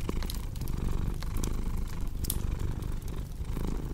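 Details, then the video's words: Purring domestic cat: a dense, low, vibrating rumble pulsing in breath cycles, partly masked by frequent crackling and popping from a fire burning nearby. "Purring Cat with Cozy Crackling Fireplace Sound"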